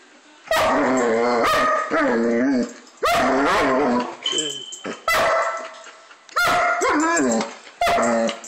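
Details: German Shepherd dog barking while playing: loud, deep, harmonic barks in bursts about a second apart, some drawn out with a slight rising-and-falling tone, short quieter gaps between them.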